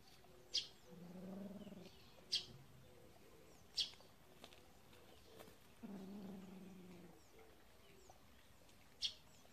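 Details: Kitten from a cat family living in a warehouse, playing with a mole; two low, steady, drawn-out tonal calls, each lasting over a second, among sharp clicks recurring every second or two.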